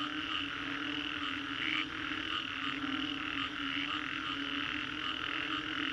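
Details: Post-storm frog chorus in the Green Corridor, Singapore: countless callers merge into a continuous droning wall of croaks, with brief pulsing surges near two and three and a half seconds over a constant low tone.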